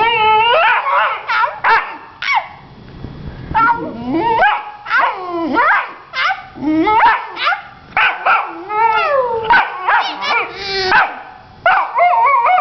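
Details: Young female Vizsla pup talking back after just learning to use her voice: a long run of whiny, yodeling howls and yips that bend up and down in pitch, closely spaced with brief gaps, in a small room.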